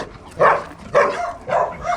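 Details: Young male Bakharwal dog, six months old, barking in short hoarse bursts, four of them at roughly half-second intervals, with a quiet background between.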